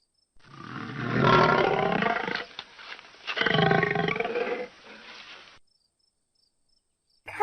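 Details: Pig giving a rapid series of short, harsh grunts and squeals, about nine bursts over five seconds at an uneven pace, some louder and longer than others, then quiet.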